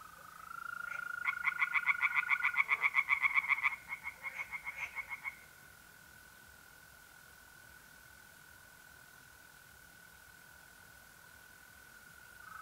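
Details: April night at a pond in north-eastern Italy: a short burst of quick, harsh tree frog pulses for about four seconds, then only the even, continuous trill of mole crickets carrying on.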